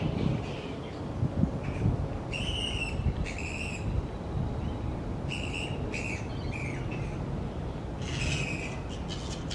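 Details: Grey-headed flying foxes, a large noisy colony of fruit bats hanging upside down in tree branches, give harsh, squawky bursts of chattering calls in scattered clusters, with low rumbling background noise throughout.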